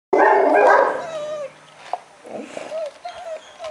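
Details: ['A male German Shepherd at a dog breeding kennel gives a loud, harsh bark lasting about a second. Softer whining tones follow, along with scattered small noises.']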